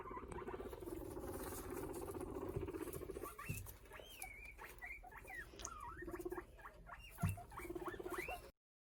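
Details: Guinea pigs talking to each other give a run of squeaky, wavering high notes that rise and fall, over low rumbling background.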